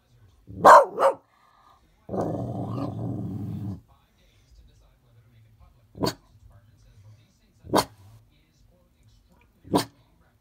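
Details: Dog barking at the snow. A quick double bark, then a gravelly growl of nearly two seconds, then three single sharp barks spaced about two seconds apart. Quiet between calls.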